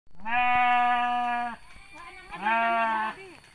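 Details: Sheep in the village of Sirna Rasa during mating, giving two loud, steady, nasal bleats: a long held one of about one and a half seconds, then a shorter, wavering one after a brief pause.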